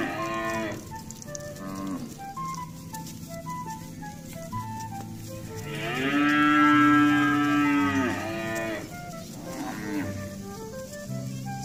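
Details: Tens of cows walking home to their pen in the evening with a herdsman in the countryside. A long, loud, rising-then-falling moo dominates the middle, with shorter moos before and after, over steady background music.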